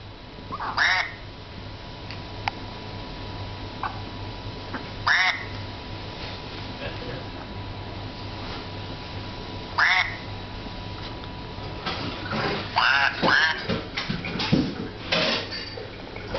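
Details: A Chihuahua waits for a treat, giving short harmonic whining yelps that bend upward near 1, 5 and 10 seconds, then a denser flurry of squeaky whines toward the end over a steady low hum.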